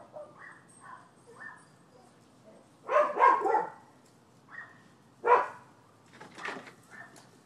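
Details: Neighbourhood dogs barking on 12/7/15, a nuisance complaint: faint distant yaps early on, then a loud cluster of rough barks around the middle and another sharp bark shortly after, followed by softer barking.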